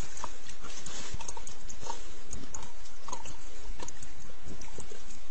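A wild boar gives low, rough grunts and snuffling snorts at close range.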